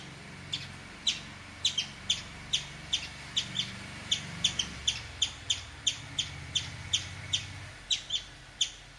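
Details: Bright, clicky chips from a chipmunk that is peeing, repeated about twice a second with a few irregular gaps, somewhat softer, over a low rumbling background noise.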